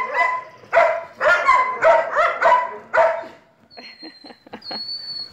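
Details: Litter of Belgian Malinois puppies born 11 May 2017: five or six loud, shrill yelps close together, then quieter scattered squeaks and a thin high whine fading out.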